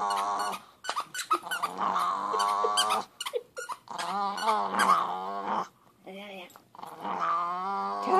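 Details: Angry dog, possibly a puppy, growling in rough, throaty bursts that swell and fade, separated by short pauses and scattered clicks, indoors.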